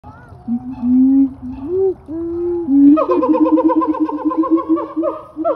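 A siamang gives long, clear hooting notes, then a fast run of repeated whoops that climb in pitch.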